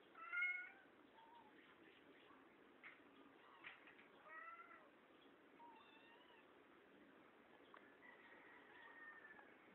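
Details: Kittens mewing quietly: faint, thin high mews, some rising and some falling, scattered irregularly with short pauses, over a soft hiss in a muffled recording.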